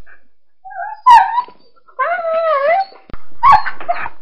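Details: Dog crying in pain with high, wavering whines and yelps, including one long drawn-out quavering cry, with a sharp yelp near the end.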